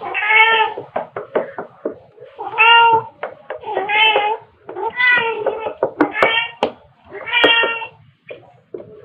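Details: Two pet cats, a black cat and a tabby, playing with fluffy toys, filmed in late March 2021 on a phone with a mini shotgun microphone; about six short, bright meows come roughly every one and a half seconds, broken by sharp knocks and clicks.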